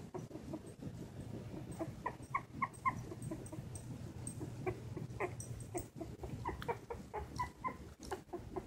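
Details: Two silky terrier puppies, Winnie and Chunk, 19 days old with newly opened eyes, taking wobbly first steps; thin high squeaks come in frequent short bursts throughout, over a steady low indoor hum.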